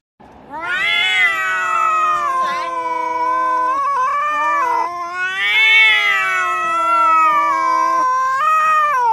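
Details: Kitten in a home, from a compilation of funny and cute kittens, giving long drawn-out meows with wavering, rising and falling pitch, two extended wails separated by a short break, then a third starting at the end.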